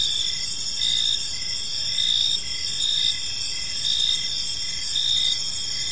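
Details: Evening cricket chorus in a quiet park: continuous shrill high-pitched trilling from several insects, with a lower pulsed chirp returning about once a second. Only faint background hiss accompanies them.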